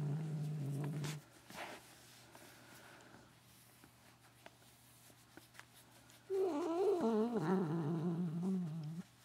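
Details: Katherine the cat making strange sounds as her ears get rubbed in a small room: a brief low drone at the start, then after a quiet gap a long wavering, quavering moan that slides downward.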